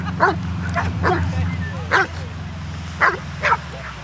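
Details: Hovawarts at a rainy reunion of "Vom Wildenstein" siblings, twelve dogs with twenty-two people. Clipped barks sound in a loose series, two close together near the end, over a steady low engine-like drone and murmured voices.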